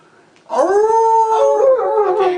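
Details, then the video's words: Domestic dog 'singing' in a long, tonal howl that begins after half a second of quiet. It holds a steady, rich pitch for about two seconds, wavers slightly, then dips and sags at the end. "Dog singing video compilation cute and funny dog sounds"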